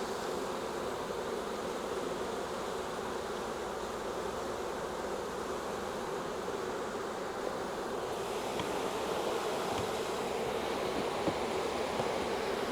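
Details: Honey bees of a wild swarm being collected from a tree branch into a nuc box, a continuous thick droning buzz that holds evenly throughout and swells slightly louder near the end.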